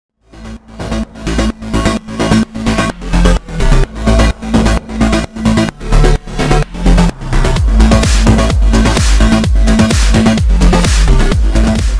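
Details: Electronic dance music fades in, pounding out a fast, even four-on-the-floor beat that grows denser after about seven seconds, with no animal voices.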